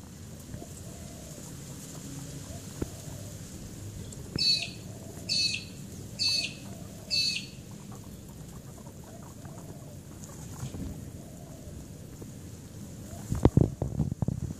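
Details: Guinea pigs playing: Larry, a desexed male, with his four female companions. Four short, high, squeaky bursts come about once a second, followed by rustling and handling noises near the end over a low background hum.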